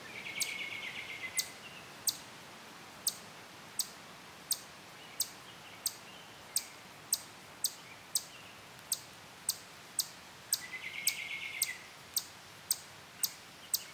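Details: Wild chipmunk on a tree trunk in a sassafras grove near a playground at Durand Eastman Park, defending its territory. It stops eating and gives sharp, high chips steadily about every 0.7 seconds, around nineteen in all. A buzzy bird trill sounds twice.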